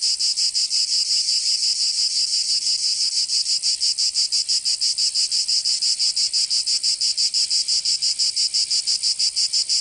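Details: Summer cicada chorus from Provence in the south of France, a harsh high buzz throbbing in quick, very even pulses nearly three times a second, steady and unbroken from start to finish.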